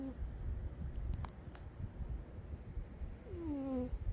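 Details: Umi the cat sleeping and snoring: a faint whistled squeak sliding downward at the start, then another falling, doubled whistle about three seconds later, over a steady low rumble of breathing and room noise.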